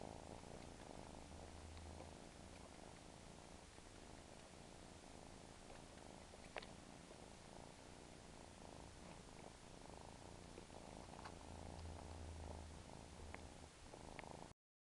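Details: A domestic cat with a suckling habit purrs with a rapid, regular throb and a deep humming undertone, broken by a few soft clicks before the sound cuts off at the end.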